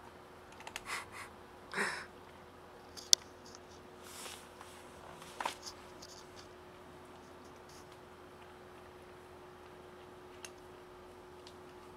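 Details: A quiet indoor room with a low steady hum, a few soft scratching and clicking sounds, and no audible animal call.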